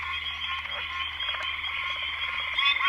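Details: Two or three male Pine Barrens treefrogs call together at the end of the day from the ground in coastal plain woods, their nasal honking notes merging into a dense, steady chorus.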